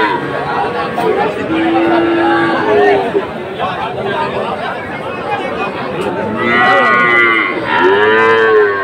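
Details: Friesian and crossbred heifer calves for sale at a Dhaka market, Bangladesh, 12 August 2024; a long low moo early on, then higher, strained moos near the end, all over continuous crowd chatter and talking.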